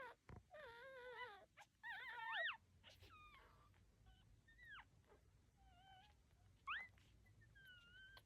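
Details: Newborn puppies, one of a litter of nine lying with their mother, giving thin high whines and squeaks that waver and rise, several short calls in quick succession, quiet room.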